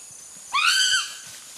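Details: A young chimpanzee at play gives one high, tonal, piercing squeal that sweeps upward, levels off and drops gently, lasting about half a second, with a faint background hush before and after.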